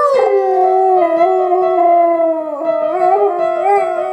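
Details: A male Siberian Husky howls along to piano music of Beethoven's Für Elise, holding a long, wavering howl that slowly dips and rises.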